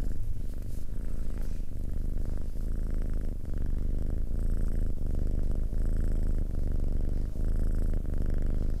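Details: Purring from a domestic cat, recorded close, a dense low buzz rising and falling with each breath, with faint soft higher tones drifting in during the second half.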